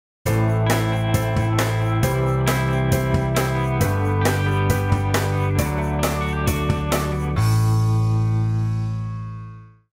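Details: Only instrumental music is heard: sustained low chords with sharp plucked accents, ending on a long fading chord. No animal voice can be picked out.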